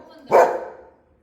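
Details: A Golden Retriever gives one sharp, full-throated bark that fades quickly.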